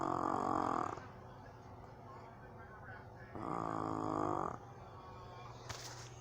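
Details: A sleeping pug-cross dog snores on its owner's lap in slow, rasping breaths, each drawn-out buzzy inhale lasting about a second.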